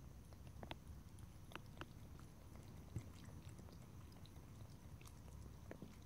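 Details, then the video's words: Pet cat lapping and licking water in a small room: scattered wet ticks and brief clicks come in irregular bursts above a steady low background hum, with no voices. "ASMR Cat: Drinking, Lapping and Licking Water"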